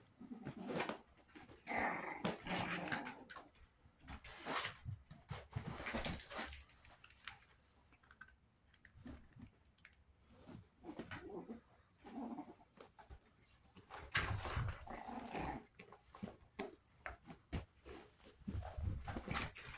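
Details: Chihuahua puppies at 61 days old in a small indoor room, trading short growls, whimpers and squeaky yelps in quick uneven bursts amid constant scuffling and handling noise.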